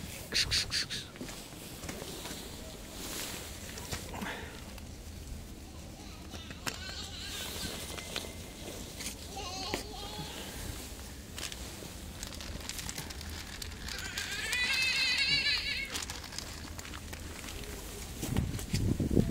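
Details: Fluffy street cat meowing in several short, wavering calls through the middle, then a higher, drawn-out quavering meow near the end, over steady background noise and some human speech.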